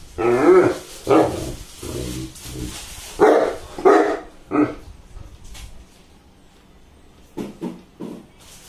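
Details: Saint Bernard after a bath giving deep, groaning barks and growly vocalisations in irregular bursts, fading to a few softer grunts near the end.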